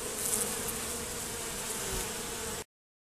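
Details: Honey bees robbing at a reduced hive entrance with a Z-shaped screen: continuous crowded buzzing, steady humming tones under a hissy wash, cutting off abruptly after about two and a half seconds into silence.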